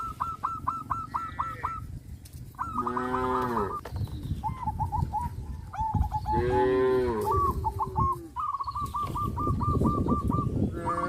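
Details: Tame cows eating grass in a field on a traditional village farm, giving two drawn-out, deep, resonant moos about three seconds apart, with rapid repeated hooked chirps from birds filling the gaps.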